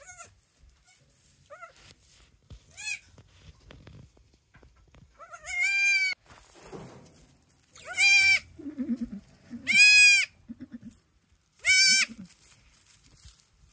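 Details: Pair of newborn kids, offspring of the goat GIN, calling in a goat barn for a mother who has no milk; repeated loud quavering bleats about every two seconds, with softer calls between.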